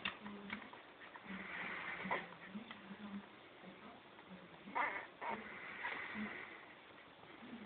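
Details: Six-day-old Pharaoh Hound puppies, a litter of seven with their mother Habiba, give faint, thin squeaks and whimpers in short scattered bursts over a soft, rustling background.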